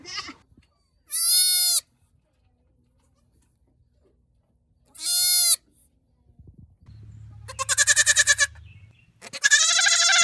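A goat gives loud, nasal bleats, some short and clear, others long and quavering.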